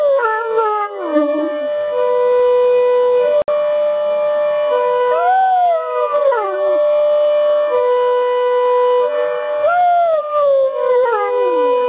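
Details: Great Danes, one large and one smaller, howl with a broadmoor alarm; several rising-then-falling wails, each a few seconds long, overlap a continuous siren tone, with a brief dropout midway.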